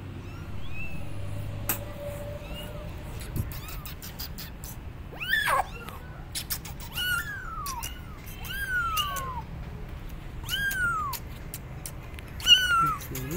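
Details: Abandoned kittens on a gate meowing loudly, calling for their mother cat; high arched meows repeated every second or two, some overlapping, over low rumbling background noise and clicks.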